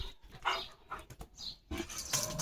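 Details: A male German Shepherd gives short, high, whining calls to summon his mum, outdoors in the morning as rain comes.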